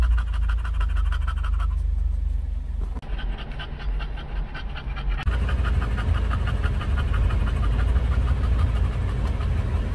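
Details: Panting English bulldog on a trip to a Starbucks drive-thru for a pup cup in California. Quick breathy huffs repeat about four times a second, briefly muffled midway, with a car engine droning underneath.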